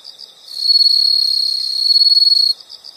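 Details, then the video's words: Insects recorded as a natural nature sound: one loud, steady high trill runs for about two seconds, with softer pulsed chirps from other insects before and after. "the sound of insects"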